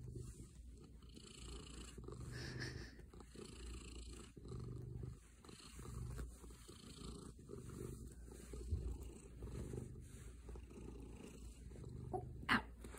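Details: Male domestic cat purring while cuddling after its owner comes home; soft, continuous low rumble pulsing with each breath, quiet room, faint rustle near the end.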